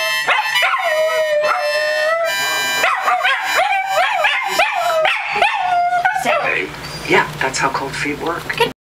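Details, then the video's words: Dachshunds give a chorus of looping, wobbling howls over steady musical tones for about six seconds, then the howling fades into a mix of speech and scattered noise. "Howling Wiener Dogs!!!"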